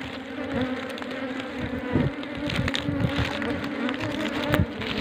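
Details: Honey bees nesting in more than ten comb layers inside a small deep hole in a coconut tree make a continuous low buzzing, massed wingbeats merging into a steady drone, with brief louder swells as individual bees pass close.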